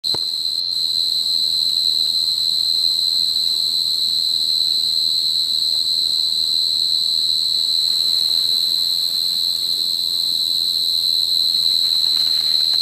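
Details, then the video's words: A Forbes' tree cricket (Oecanthus forbesi) singing in a planted prairie on September 3, 2013, gives a steady, unbroken high trill that holds one pitch throughout. "Forbes' Tree Cricket, Oecanthus forbesi, singing"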